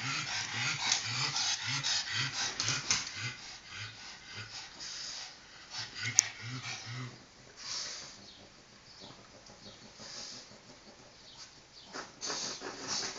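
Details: A pug snorts and grunts in quick rhythmic runs of low, pulsing nasal sounds. The runs are broken by short pauses and end in hissy, rasping breathing.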